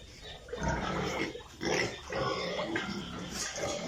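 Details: Piglets on a pig farm: a few rough, harsh grunting calls in quick succession over a constant background hum.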